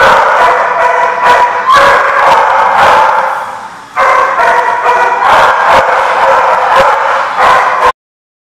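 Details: A crowd of dogs at a barking lot, recorded 31 October 2014, keeps up a loud continuous chorus of overlapping barks and yips, easing briefly near four seconds before ending abruptly.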